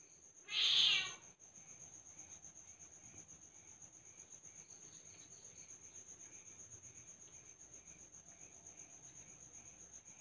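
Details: Asian leopard cat kitten giving one loud, short, high-pitched harsh cry near the start, then silence from the cat while steady insect chirping pulses and a constant thin high whine continue.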